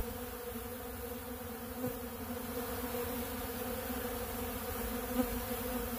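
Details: Honeybees at a big blue pollen feeder eating bee pollen, a softer, steady background hum of many wings with faint low droning and a couple of small ticks.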